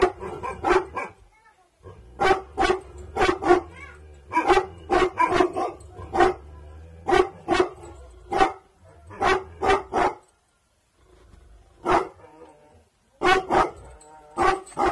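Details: Night guarding by an aggressive-bloodline Bhotia dog called Dabu Goli: loud, harsh barks fired in irregular clusters, gaps of quiet between, low hum in the background.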